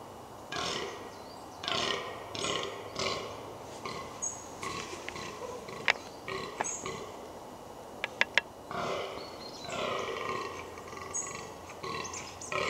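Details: Wild fallow deer in the New Forest, Hampshire, England, during the rutting season: a series of hoarse, belching groans, roughly one per second, with a few sharp clicks near the middle.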